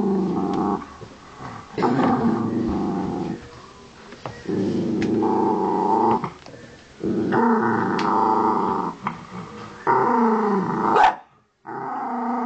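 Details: Angry Miniature Dachshund Honey guards her pig's ear with repeated growls, loud rumbling phrases a few seconds long separated by softer pauses, one ending abruptly before a short silence and a fresh growl.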